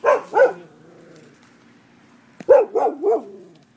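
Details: Neighbourhood dogs barking at midday, described as a nuisance: two quick sharp barks, a pause of about two seconds, then a burst of three rapid barks, over a faint background hum.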